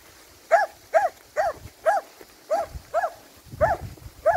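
A Finnish Lapphund barks in a steady run of sharp, mid-pitched yaps about twice a second.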